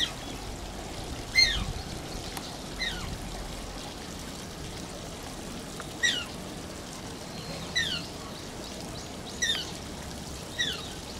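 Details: At Oji Zoo, the Asian small-clawed otter Shishimaru gives sharp, high-pitched squeaks that slide downward, about six separate cries spread over the stretch, over a steady background wash of flowing water.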